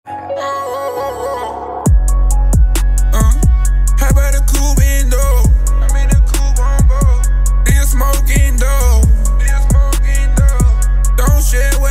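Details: Loud hip hop track with heavy bass beats and rapping after a soft melodic intro.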